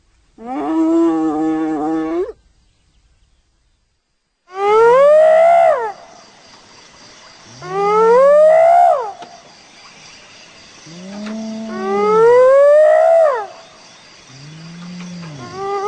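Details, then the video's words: Hyena calling: one long, steady moan that flicks upward at its end, then a pause, then four loud whooping calls roughly every three to four seconds, each sliding upward in pitch over a low, arching undertone. "Real Hyena Sound I Sonido de Hiena Real I Vrai Son Hyène"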